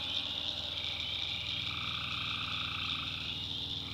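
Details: Tree frogs trilling at night in a North Carolina backwoods swamp, dense high chorus with a lower buzzy call rising briefly mid-clip, over a pulsing low engine-like rumble.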